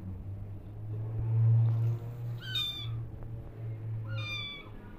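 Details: Orphan kittens, rescued and now nursing from a foster mother cat; two clear, drawn-out meows, each bending downward with rich overtones and spaced about two seconds apart, over a constant low droning hum.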